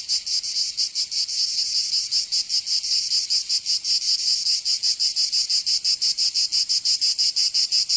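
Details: Cicadas of southern France's Provence in summer: a shrill, sizzling high drone pulsing quickly and somewhat unevenly as overlapping singers blend, with no other noises.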